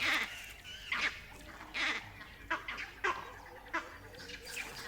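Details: Vervet monkeys in the distance give harsh, chattering alarm calls in short, irregular bursts, echoing a jackal's barks and warning of a leopard near a den.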